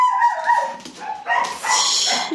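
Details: Dog vocalizing indoors: a high, tonal whimpering whine with clear harmonics for about a second, a brief dip, then a louder, rougher yelp-like burst that holds and wavers to the end; a person speaks Italian nearby.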